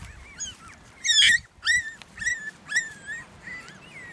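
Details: Toy Australian Shepherd puppies from a litter giving high, bent whines and yelps, each arching up then down, about one every half second, one louder squeal near the start, over a faint low background hum.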